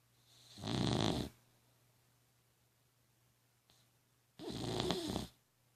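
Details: Dog snoring heavily indoors, two long rasping snores about three seconds apart, each a rough, buzzy roar lasting under a second, with quiet breathing between them and a steady low hum underneath.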